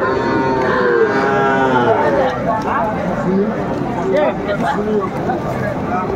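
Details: Calves, young bulls and heifers, crowded at a market in Faridpur, 4 September 2024. Overlapping short moos sound from several animals at once, mixed with steady talk as buyers and sellers bargain.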